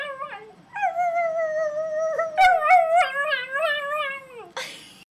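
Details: A singing dog gives one long steady howl, then a run of quick, wobbling, yodel-like notes. The sound ends with a short breathy, noisy burst in what sounds like a small indoor room.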